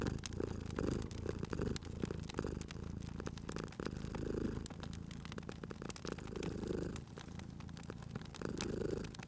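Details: Sleeping cat purring beside a crackling fireplace in a cozy indoor setting; a low, rumbling purr swells and fades with each breath roughly every two seconds, while sharp pops and crackles of burning wood sound throughout.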